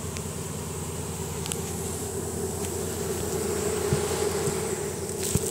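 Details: Honey bee swarm marching into its new hive after picking up the Nasanov pheromone signal; a steady droning hum holds throughout, growing slightly louder toward the end, over a low rumble with a few sharp clicks.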